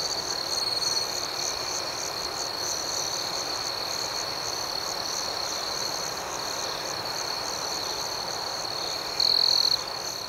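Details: ['Constant shrill trilling of crickets at night, steady and even, with soft repeated chirps above and one short louder burst near nine seconds.']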